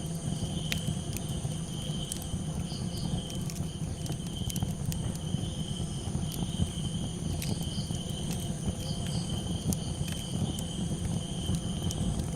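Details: Crickets calling at night beside a campfire: steady, high, unbroken trilling tones hold throughout, while sharp fire crackles pop irregularly over a deep, constant low rumble of flames.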